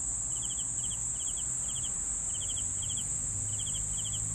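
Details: Crickets chirping in short bursts of three or four quick pulses, roughly two bursts a second, over a steady shrill high drone and a faint low rumble.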